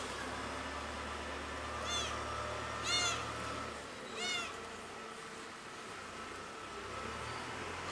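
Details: Pretty, a cat missing its mother, gives three loud, wavering meows about a second apart over faint constant hum, then falls quiet.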